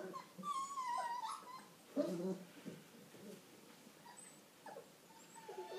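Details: Old English Sheepdog puppies of the A-litter at five weeks old: a drawn-out, high whine wavering and sliding downward over about a second, then scattered shorter squeaks and soft grunts with faint background noise.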